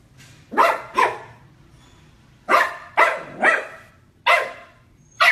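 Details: Dog barking at his own reflection in a mirror, indoors; sharp loud barks in pairs and singles, seven in about five seconds, with short pauses between bursts.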